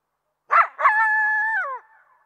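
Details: A coyote's two harsh barks run straight into a steady drawn-out howl that slides downward at its end, followed by quiet.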